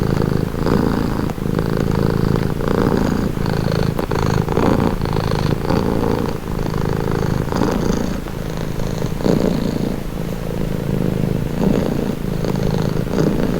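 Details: Domestic cat purring, offered as a calming sound: a steady low rumbling purr, throbbing in long breaths of about one to two seconds each, continuous throughout with brief dips between breaths.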